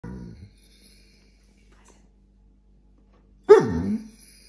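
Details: A Vizsla whinges, giving a brief low grumble, then after a pause a sudden loud whine that slides downward.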